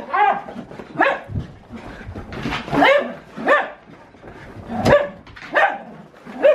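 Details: Siberian Husky having crazy zoomies indoors, giving repeated short harmonic woo-like barks about once a second, each rising then dropping, while a woman laughs and urges it to go outside.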